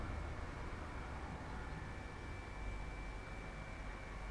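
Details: Steady broadband hiss with a faint constant high tone, like a running engine or fan; no animal is heard.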